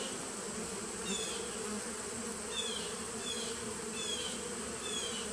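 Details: Bees humming steadily in a 2017 nuc, 19 September 2018. Short, high, falling chirps cut in roughly every second over the constant drone, with a faint whine in the background.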